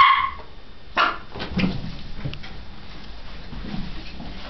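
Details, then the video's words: Dog full of energy, running about: a loud bark opens, a second follows a second later, then softer yips and scuffling fade into low background noise. "barks and runs"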